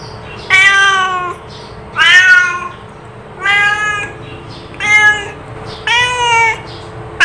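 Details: Cat calling with a series of five meows about every one and a half seconds, each harmonic and slightly rising then falling, the last ones longer and more nasal, with a faint steady hum behind.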